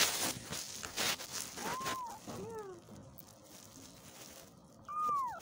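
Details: Baby kittens crying for their mother, a few short arched meows from more than one kitten, the last one louder, over crinkling and rustling handling noise.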